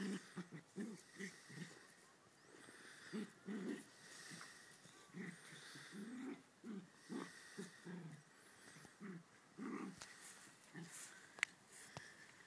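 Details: Ridgeback and West Highland White Terrier in rough play, giving scattered low growls and grunts, some longer rumbles around the middle, with sharp clicks and light thumps toward the end.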